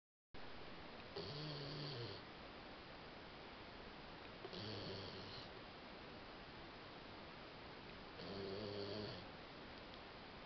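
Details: Mel, a female Labrador Retriever, asleep after a whole day of play and having nightmares, snores indoors: three rough, droning snores, each about a second long, recurring roughly every three and a half seconds, with quiet hiss between them.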